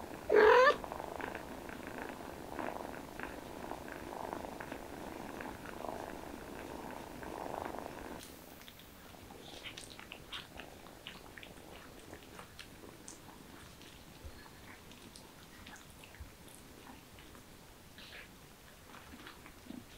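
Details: Mother cat with her kittens: a short, sharp, rising meow-like chirp at the start, then a steady, banded, humming murmur lasting several seconds before fading into quiet room ambience.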